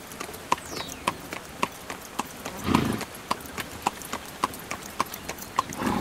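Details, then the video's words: A carriage horse trotting, its hooves striking about every half second with a sharp metallic ping on each beat, broken near the middle by a short, rough breathy rush. "Horse Carriage Sound"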